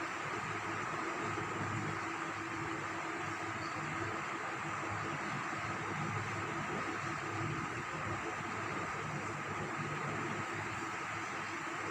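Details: Constant hiss and steady hum with faint tonal lines, no bark or other animal sound.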